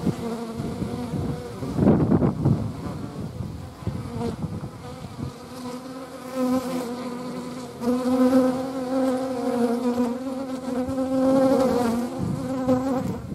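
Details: Hornet wingbeats make a continuous low hum with stacked harmonic tones, loudening and softening as the insects circle nearby, a brief rustling thump early on.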